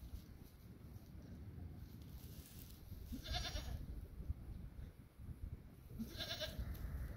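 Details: Domestic goat during birth of a female kid: two short, wavering bleats about three seconds apart, fairly soft against a steady background hiss and low rumble.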